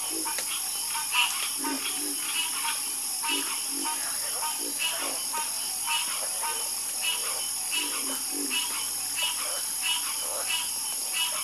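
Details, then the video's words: Chorus of frogs croaking in a calming nature recording: short rasping pulsed croaks burst roughly every second from several callers, set against a steady high insect-like hiss. "Calming Sound Of Harmonious Frog Croaking"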